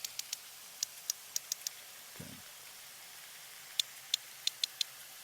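A sperm whale produces a coda, a stereotyped click pattern used in social exchanges within family units. The sharp clicks fall as one, one, then a rapid three, and the pattern repeats after a brief dull thump.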